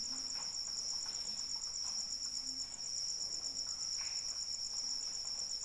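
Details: Rain with crickets: dense, continuous high-pitched pulsing from the insects, layered in bright, unbroken bands, while gentle rainfall forms a broad, quiet wash beneath and one short dip in the noise occurs midway.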